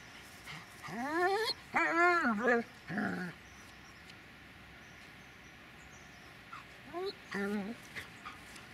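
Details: Dobermann named Magmar von der Burgstätte giving a series of high, rising whining yelps with clear harmonics, two bursts early and a shorter cluster near the end, separated by quiet pauses.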